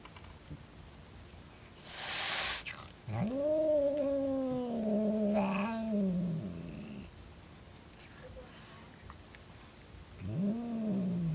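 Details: Female house cat suddenly hostile toward her brother, growling at him: a wavering drawn-out moan that rises then sags over several seconds, preceded by a sharp noisy hiss and followed by another rising growl near the end.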